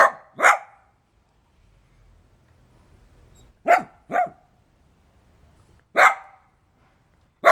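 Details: Domestic dog giving short, loud barks: a quick pair at the start, another pair near the middle, then a single bark and a final clipped one, separated by quiet gaps.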